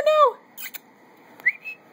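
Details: Adoptable puppies at play indoors: a short high whine slides downward with clear harmonics, followed after a pause by a brief rising squeak and a few soft clicks in a quiet room.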